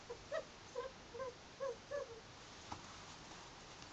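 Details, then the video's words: Pet ferrets Bodger and Badger at play: five quick squeaky, slightly clucking notes repeated about every half second, followed by soft clicks and rustling. "Vocal ferrets"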